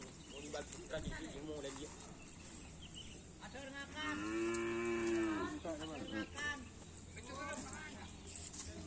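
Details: Madura cattle at karapan sapi bull race training on the Asemanis field in Pamekasan: one loud, steady, harmonic-rich moo lasting about a second and a half, with motorbike engine noise, people talking and outdoor crowd background.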